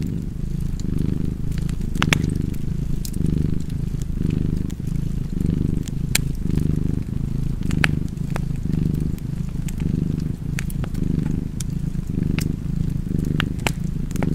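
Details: Domestic cat purring steadily beside a crackling fireplace, a low rumbling purr swelling and easing with each breath, roughly once a second, while sharp pops and snaps of burning wood break in throughout.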